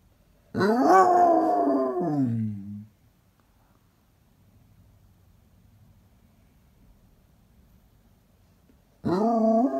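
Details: Basset Hound giving a loud, rich, wavering howl lasting about two seconds that slides downward at the end, then near silence, then another howl starting at the close.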